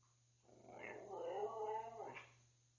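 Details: Tuscany, a 12-year-old pet Siberian Husky told to say it, produces a rough, grumbling, rising-and-falling talking vocalization lasting about a second and a half, inside a small room with family members prompting.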